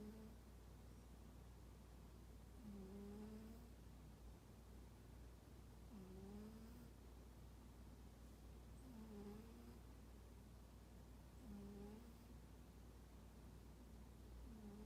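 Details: A standoffish pet cat called Toraji, deep asleep, snores in a regular rhythm, five soft, low, faintly whistling tones spaced about three seconds apart, each falling slightly, against a quiet steady hum.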